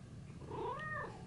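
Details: House cat startled after another cat played a trick on it; one short harmonic meow, rising then falling over about half a second, against low indoor hum.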